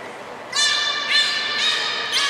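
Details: Port of Nagoya Public Aquarium beluga Hodoi in training for gastric fluid and blood sampling, 6 January 2019. Three or four bright, buzzy, harmonic bursts run back to back and then trail off, with a quiet hall echo.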